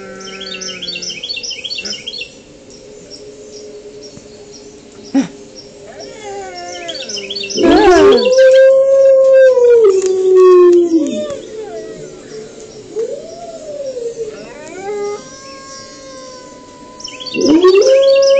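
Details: A gray wolf howls in reaction to other howling wolves, giving long smooth tones that rise, hold steady, then slide down, with voices overlapping.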